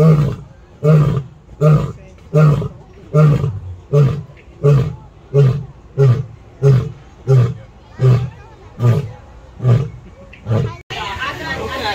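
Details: San Diego Zoo lion finishing a roar with a steady train of about fourteen deep, short grunts, roughly one every 0.7 seconds, fading away before crowd noise and handling sounds take over.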